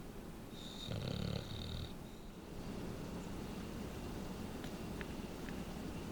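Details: Densuke, a pet bulldog, sleeping indoors, snores quietly for his breed and often twitches his face and talks in his sleep. One rough, breathy snore swells over about a second with a faint nasal whistle on top, then steady low breathing.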